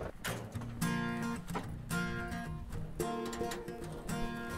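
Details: Acoustic guitar music with strummed and plucked chords, no animal sound heard.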